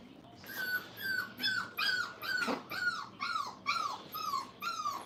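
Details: Five-week-old Brittany puppies in a training crate whine steadily, a series of about ten high, slightly falling whimpers, roughly two per second, each clearly separated.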